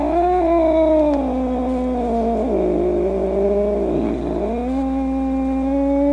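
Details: Domestic cat giving a long, drawn-out growling yowl, steady and strained, dipping lower near the end before rising again; no other sounds.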